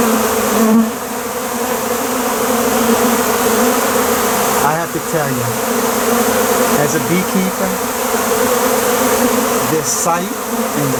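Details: A dense, steady hum of many western honey bees around a honey-processing site after several tons of honey were extracted, with a low droning buzz that never breaks.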